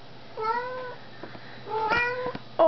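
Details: House cat chatting with its owner indoors one evening, giving two drawn-out, level meows about a second apart, then a short sharp squeak, with the owner's voice and faint hum behind.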